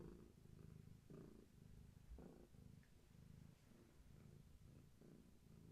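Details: Deep rhythmic purring from a heavily pregnant long-haired tabby named Gaia, leaning into a person who holds her steady; the rumble pulses with her breathing, slightly uneven, about every half second to a second.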